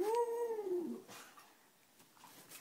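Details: Pet dog, prompted to say "I love you" for a back scratch, makes one smooth tonal howl-like call under a second long, rising then falling, inside a quiet room; a person urges it on.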